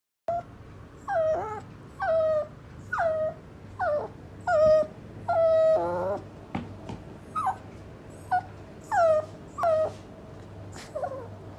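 A Shih Tzu puppy gives repeated high, falling whimpers and yelps, about one every second.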